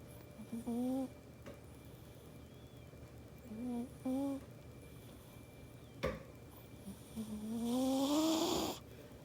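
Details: Snoring domestic cat asleep indoors, in good health despite possibly small nostrils, making short paired nasal hums, a sharp click, then a long snore rising in pitch with an airy hiss.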